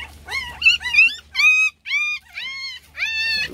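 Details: Loud crying from a litter of puppies seeking attention: clear, tonal whines that rise then fall, repeated in separate bursts about every half second with short silent gaps.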